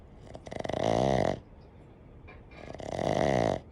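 A Boston Terrier snores in two long, rattling, buzzy breaths, each swelling and then fading.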